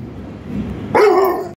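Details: French Bulldog answering its owner in an argument: brief low murmur, then one strong, drawn-out bark with a rich harmonic stack, gently falling in pitch before stopping abruptly.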